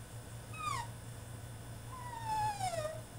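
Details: Caged male French Bulldog mid-tantrum: one quick falling whimper followed by a longer, slowly descending whine, with a faint low hum underneath.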